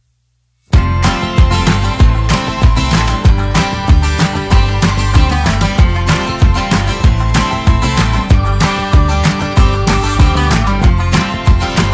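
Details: Strummed acoustic guitar music with a steady country-style rhythm plays throughout after a brief silent start, with no animal voice heard.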